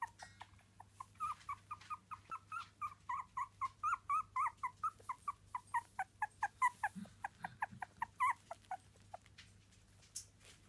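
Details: Three-week-old Miniature Dachshund puppies crying in a steady, fast series of high whimpering squeals, nearly two per second and strong throughout, with one brief low grunt near the end.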